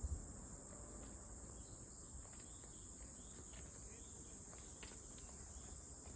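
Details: Cicada, called a cute one, droning in a constant shrill high buzz throughout, over low rumbling noise with a few faint clicks and distant chirps.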